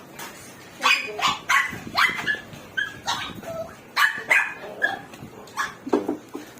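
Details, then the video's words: Two-day-old Chihuahua puppies, described as healthy, making a rapid string of high squeaky yelps and whimpers, about a dozen short bursts in quick succession with faint background hum. "Chihuahua Talk, 2 days old puppies"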